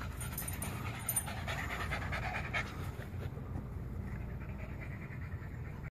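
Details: A female dog, one of three being looked after for a weekend, pants on her first trip of the day into the backyard: a soft, steady, breathy rasp with low rumbling texture and faint hiss above, without voices.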